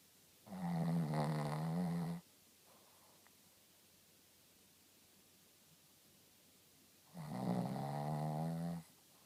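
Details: Shih Tzu named Rintaro snoring indoors: two long, loud, harmonic rasping snores about five seconds apart, each lasting close to two seconds, with quiet breathing between them.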